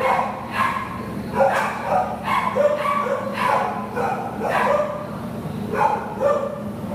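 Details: Repeated short, mid-pitched barks, roughly seven to eight in seven seconds, from Buddy, a Labrador Retriever awaiting adoption; a steady low hum runs underneath.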